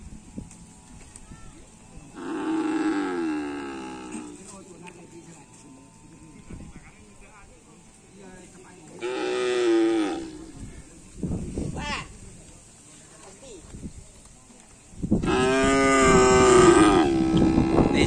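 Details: Racing cattle at an afternoon karapan sapi training session in Asemanis field, Indonesia, calling three times: drawn-out, harmonic moos spaced several seconds apart, the last one loud and rough, with low rumbling and scattered noises between calls.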